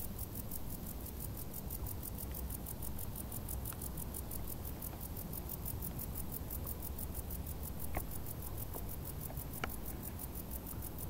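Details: Summer crickets in tall grass keep up a fast, regular high-pitched pulsing, about five chirps each second without pause, with a few faint clicks and a steady deep background rumble.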